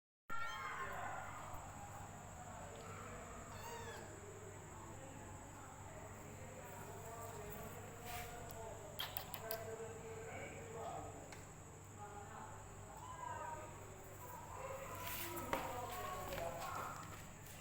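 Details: Hungry female rescue kitten drinking milk from a bottle, making funny sounds: soft, squeaky, wavering mews and little cries repeated irregularly among wet suckling noises, over a steady high electrical whine and low hum.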